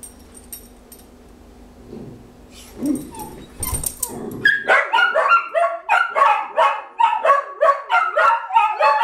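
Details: Several pet dogs left behind while their owner makes a short trip out to the shop, showing separation anxiety; after a few seconds of thumps and shuffling, rapid harmonic yelps and yips start and repeat several times a second in a steady chorus.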